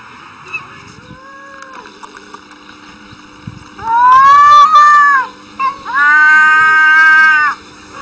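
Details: Domestic cats arguing: two drawn-out, steady, nasal wails, each lasting over a second, separated by a short pause. A quiet background hum runs throughout.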